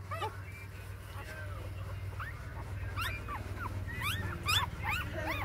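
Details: A litter of six newborn puppies, four days old, whimpering and squealing: arched, high yelps that sweep up and fall back, crowding together toward the end, with a constant low droning hum underneath.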